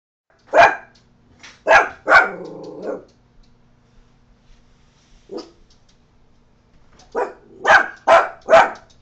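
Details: Scooter, a pet Coton de Tulear, barks at a neighbour: a burst of three sharp barks with a trailing growly tail, a pause, one soft yip, then four quick loud barks close together.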